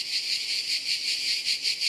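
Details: Cicadas heard but not seen in a house garden in France during a summer holiday fill the air with a steady, shrill buzzing that pulses in rapid, even waves.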